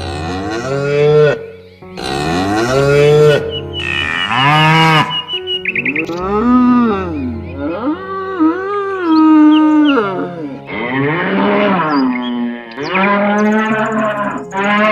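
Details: Several cows in a pasture moo in turn, long rich lowing calls that rise, hold and fall, often overlapping.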